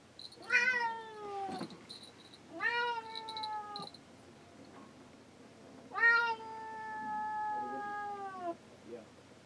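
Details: Pet cat on a boat, shut inside the cabin while men work on the deck, crying to be let out. Three long, drawn-out, wavering meows, each falling slightly in pitch, separated by quiet pauses of about two seconds.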